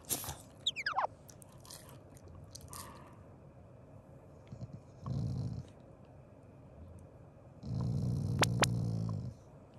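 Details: Family Shiba Inu voicing a contented, non-angry growl while eating: faint scraping and clatter at the start, a short low rumble near the middle, then a longer two-second growl with sharp ticks over it.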